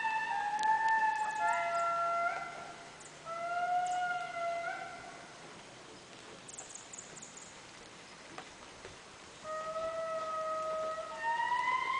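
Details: An indri, the largest living lemur, a diurnal species of eastern Madagascar rainforest, gives long, eerie wailing notes that glide up and down, each held a second or more; recorded October 2006.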